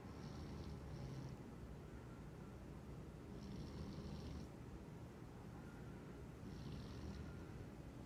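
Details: Midday nap of a dreaming, twitching house cat: quiet snores come in a slow cycle, each faint airy breath returning about every three seconds over a low, continuous background hum.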